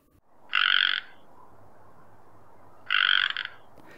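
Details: A male Pacific chorus frog (Pseudacris regilla) in Oregon's Willamette Valley gives its non-breeding call: two harsh, buzzy croaks about two seconds apart over a soft background hiss.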